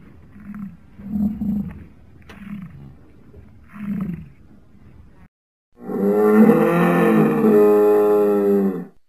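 Several low, throaty grunts come in short bursts from a plains bison. After a brief pause comes a sustained, rough-edged bellow that holds steady for about three seconds before cutting off.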